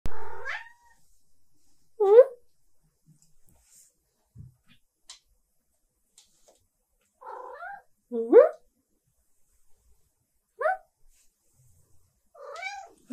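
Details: Female silver tabby cat meowing to demand attention and pets indoors; six or so separate rising, slightly wavering meows spaced a second or more apart, with quiet gaps between.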